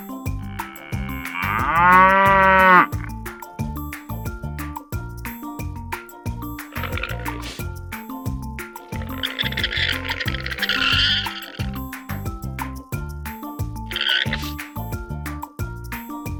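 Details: Cow gives one strong, rich moo of about a second and a half near the start, over steady rhythmic background music; later brief noisy bursts and tonal music notes continue without further clear mooing.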